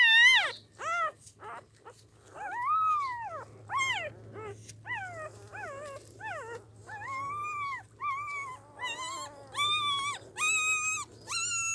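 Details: Newborn puppies, eyes still shut, whimpering in a rapid string of short rising-and-falling squeals that lengthen into arched whines toward the end, loud and close, over a low steady hum.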